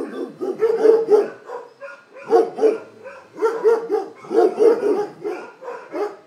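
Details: Several dogs barking in quick overlapping bursts, short harsh woofs repeated about four per second in clusters, with brief pauses between volleys.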